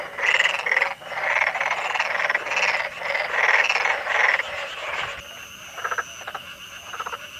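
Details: Black-spotted pond frog in Korea, calling by inflating two vocal sacs under the jaw: rapid rasping croaks in pulsed bursts about once a second for five seconds, then softer, sparser pulses.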